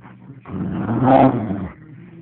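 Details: Rottweiler defending its toy from its owner, recorded on a phone; one loud, deep, rough growl lasts over a second, swelling in the middle, with quieter rumbling before and after.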